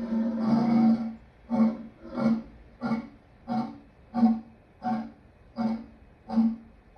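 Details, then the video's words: Lion opening with a longer rough roar, then a steady run of about nine short, punchy grunts spaced under a second apart, each a brief throaty cough fading in loudness. "Lion sounds part 2"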